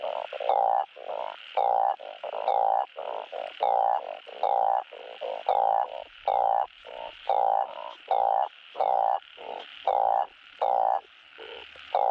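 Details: Truncate-snouted spadefoot frogs calling to find mates, a sound played during farm breeding: deep, droning, bleat-like croaks, each lasting around half a second, pouring out in a continuous overlapping chorus.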